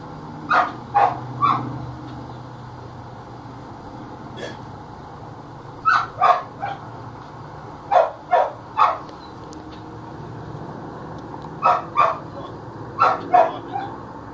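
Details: Belgian Malinois at attack training practice, handler commanding it to drop; short loud barks in clusters of two to four with pauses between, a spoken command heard among them and faint background hum.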